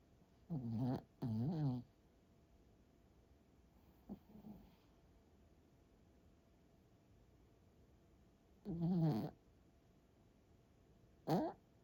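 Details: Tired pet dog asleep indoors, snoring and sleep-talking; short nasal, wavering groans and whiny snorts in bursts with long quiet breaks between, against a faint steady background hum.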